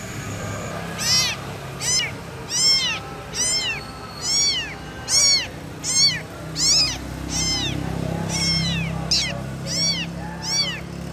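A kitten gives high, thin mews in a steady series, calling for its mother.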